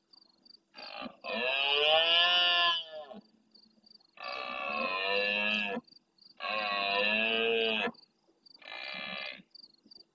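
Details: Four drawn-out, throaty roars from a big red deer stag at dusk in the marsh of Doñana, Huelva, Spain, each one to two seconds long with short pauses. He replies to farther stags near the camera while insects chirp rhythmically behind.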